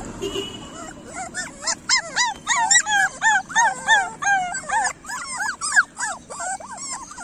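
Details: Several street puppies whimpering and yelping, a dense run of high wavering squeals in bursts roughly every half second, some notes bending upward then falling, steady murmur of traffic-like noise underneath.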